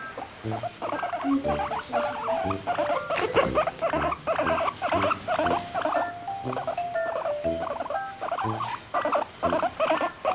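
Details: Pet guinea pig angry because its towel is being taken, giving rapid repeated high squeaks and chattering bursts, about two per second, with soft music playing underneath.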